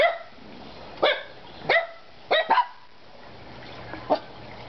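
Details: Three pet dogs barking indoors, with single sharp barks spaced about a second apart and a quick double bark in the middle, then quieter room noise and a faint low hum.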